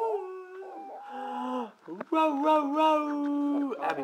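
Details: Brindle Boxer dog singing along: warbling, sustained howls with a slight tremble, a brief break, then a long steady howl, with human voices overlapping in the background.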